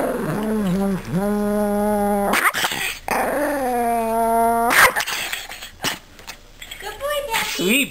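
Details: Pet dog near home in Anchorage, Alaska, one that barks at moose on walks; long level whining howls, two drawn-out notes of about a second each, then short rising yelps, with a person speaking nearby.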